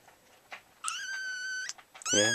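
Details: Kitten in a house, held upside down indoors, gives a drawn-out high meow lasting under a second, then a second louder meow starts; a person's voice is heard faintly.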